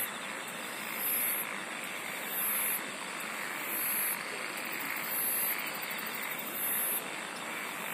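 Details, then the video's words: Singing insects: a very high, shrill trilling burst repeats about every one and a half seconds over a constant buzzing chorus and a steady background hiss. "SINGING OF INSECTS"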